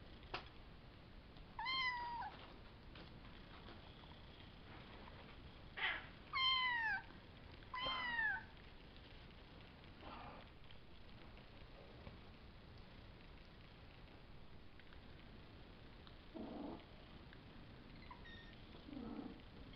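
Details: Young Savannah kittens, three males and two females from Kendi X Gargoyle, born April 22nd and recorded May 30th, making a few downward-sliding squeaky meows spaced several seconds apart, followed by quiet stretches with soft handling noises.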